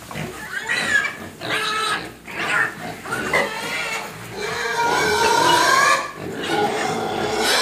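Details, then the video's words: Squealing pig begging to be fed: long drawn-out tonal cries, several bending upward in pitch, with rougher squeals and grunts between them, steady and loud throughout. "Babi Nangis Minta Makan"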